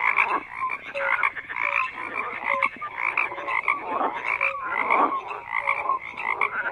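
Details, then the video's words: Many frogs croak at once: rough buzzy croaks swell and fade in uneven waves, punctuated by short low pure notes repeated roughly every second. "FROGS CROAKING"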